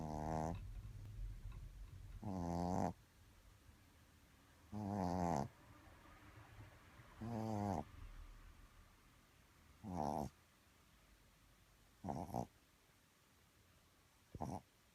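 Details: Poppy, a sleeping Shih Tzu, snores softly indoors: a buzzy rasping snore roughly every two and a half seconds, seven in all, each growing shorter and fainter toward the end.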